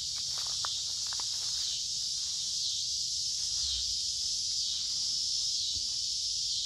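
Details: Loud chorus of many cicadas in woods along a creek, midsummer, warm and humid; a continuous high buzz swells and dips slowly, with a few footsteps early and faint low rumble.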